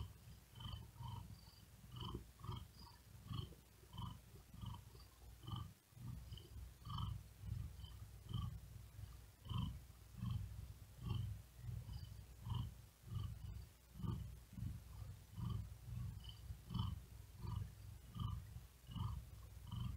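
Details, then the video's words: Cat resting and trying to sleep on a wooden desk in great heat, breathing fast and laboured: long unbroken low purr throbbing in regular breath-timed waves, airy wheezing hiss riding along each cycle. "Asmr Cat Purring And Whispering Sound"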